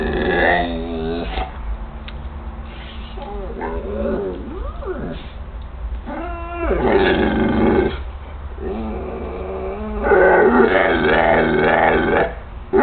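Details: Pet Pit Bull Hoi Khong, kept indoors around 2012–2013, 'talks' to its owner in a run of warbling, yodel-like moans and rising-falling whines with breaks between them, the loudest bursts near the end, over a steady low hum.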